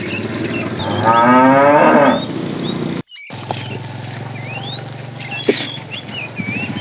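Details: Tame cow from a herd roaming far to find food: one loud, rough, harmonic moo lasting about a second, then a low steady hum-like tone with scattered bird chirps.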